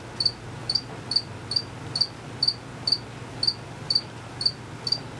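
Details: Crickets out of sight chirping, males calling: clear high double-pulsed chirps roughly every half second, about 128 per minute, with a quiet low hum.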